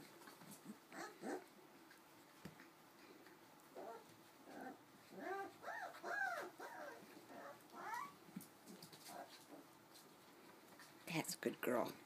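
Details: Four-week-old Cardigan Welsh Corgi puppies indoors: a series of thin, arching whimpers and squeals in short bursts, with soft yelps and a sharper cry near the end, over quiet background hum.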